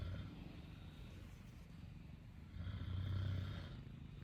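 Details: Sleeping Exotic Shorthair cat kneading its paws on mum's futon gives a continuous low, rough snore, one breath rising to a louder rumbling peak midway before easing off again; soft background hum.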